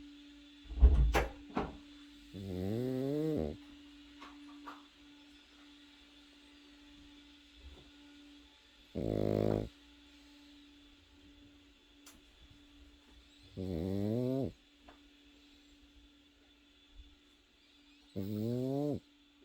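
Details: A sleeping Pekingese puppy snores indoors. Four droning, harmonic-rich snore bursts come roughly every five seconds, each lasting about a second. A faint, steady background hum runs between them.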